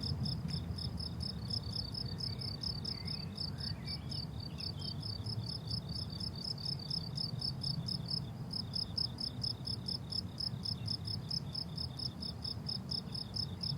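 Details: Summer meadow crickets chirping in fast, regular high pulses, about four per second, with a brief pause near eight seconds and soft low ambient rumble beneath.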